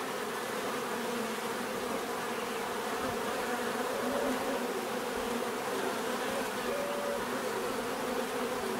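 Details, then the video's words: A swarm of bees hums continuously, an even droning wash with overlapping wingbeat tones, occasional individual bees sliding slightly higher as they fly past. "bees therapy relaxing natural buzzing sound"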